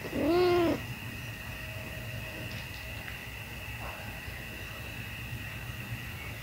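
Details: Pet kitten at feeding time giving one short, loud arched mew that rises then falls over about half a second, followed by a steady low hum and faint background noise.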